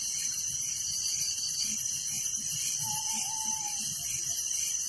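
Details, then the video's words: Crickets chirping at night in a village, a dense, steady wall of pulsed trilling at several high pitches that never lets up, with one faint low whistle midway. "Relaxing Night Crickets Sound in Village"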